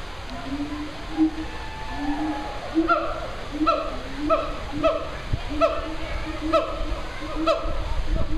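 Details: A male siamang at the Memphis Zoo makes his morning proclamation: loud hooting calls that speed up into a quick series of rising, ringing notes.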